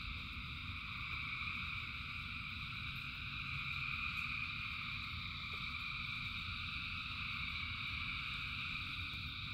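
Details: Rain-soaked frog chorus of thousands of callers, a seamless buzzing trill in stacked high bands holding steady from start to end, accompanied by low rainy rumble and sparse clicks.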